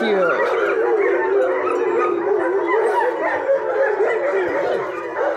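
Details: German Shepherd puppies, two liver and tan and one black and tan, described as playful; a dense mass of overlapping high whines and yips, wavering in pitch, with a woman's voice briefly at the start.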